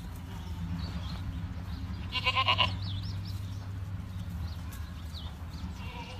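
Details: Farm-raised Boer goat giving one loud, wavering bleat lasting about half a second, over a steady low hum, with faint chirps from other animals in the background.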